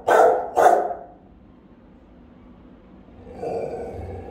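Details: Two forceful, resonant barks in quick succession from a Rottweiler on house guard duty, followed by silence and a low mechanical hum.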